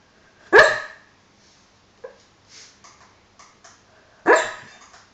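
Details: A dog named Hollie makes two stifled, throaty woofs while dreaming and snoring, one early and one late, with little soft huffs and clicks scattered through the quiet gap between them.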